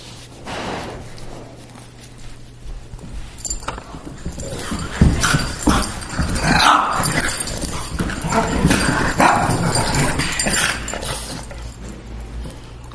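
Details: Greyhound and Boston terrier at play, a near-daily habit; quiet start building into sustained noisy growling, grumbling and yelping-edged bursts with scrabbling sounds, a faint low hum beneath.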